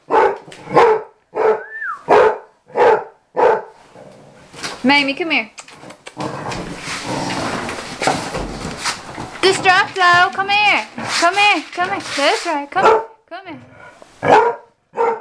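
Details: Mamie, a six- or seven-year-old dog being taught to come inside, barks in a quick regular series at the start and end, while a person calls and talks over a stretch of mixed noise in the middle.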